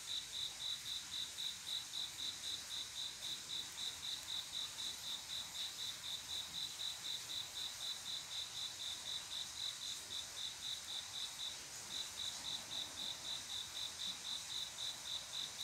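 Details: Cricket song on a quiet summer night, a male calling the female for mating: rapid, regular high-pitched chirps, roughly four per second, running continuously with one brief pause near twelve seconds, against faint background insect hiss.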